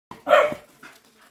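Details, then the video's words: Patterdale Terrier chasing, a single sharp bark with a bright broadband burst, followed by faint softer noises. "PATTERDALE TERRIERS TEARING S#!T UP. CHASING"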